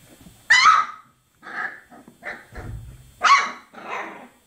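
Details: Chocolate Labrador Retriever puppies, 24 days old: two sharp high yelping barks a few seconds apart, with softer grunting whines and squeaks between them and a brief low thump.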